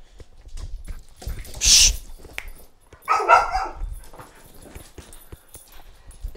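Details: A dog barks repeatedly during leash training while a trainer corrects it with leash pressure and the command "and off". One clear mid-pitched bark is heard among handling noises, scuffles and a sharp high clatter.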